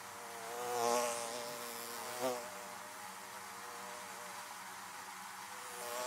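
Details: Buzzing bees near beehives: a close bee swells loud around one second, a brief sharp buzz passes near two seconds, then a level hum of many bees remains.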